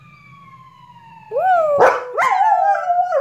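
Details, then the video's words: Lucy the dog, vocal in recent weeks, joins passing sirens: a steady descending siren wail fills the first second, then her wavering mid-pitched howl rises in, broken by two sharp yelping bursts. "Dog Sirens"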